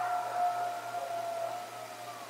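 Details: A coyote near the Decorah bald eagle north nest gives one long, steady, mid-pitched howl that sags slightly in pitch as it fades, over a soft background hiss.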